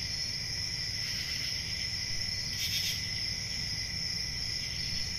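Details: Summer-night forest crickets trilling continuously at a high pitch in several steady layers, one louder hissing swell just before the third second, over a faint constant low hum.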